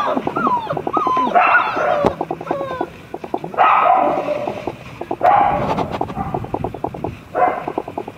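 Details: Dobermann puppies, black-and-tan and chocolate siblings, giving high whimpering whines that bend up and down, mixed with rapid pulsed grunting bursts in several loud spells over eight seconds.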